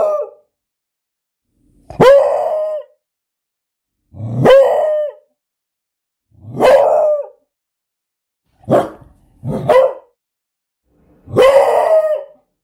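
A Beagle gives loud, drawn-out baying barks, each about a second long, repeated every couple of seconds.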